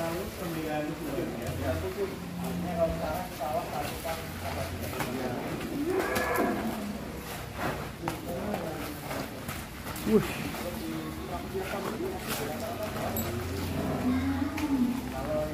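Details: A bull at Putra Mulia Farm in Bandung, raging as it leaves its pen for the first time, gives low, drawn-out moos that come and go, while men talk nearby and clatter sounds in the background.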